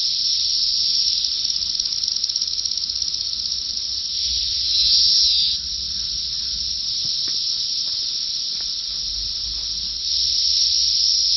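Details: Brood X periodical cicadas at the peak of the 17-year emergence in Big Bone Lick State Park, northern Kentucky. Thousands fly in the treetops, screaming out looking for mates: a deafening, steady high-pitched drone that swells briefly midway.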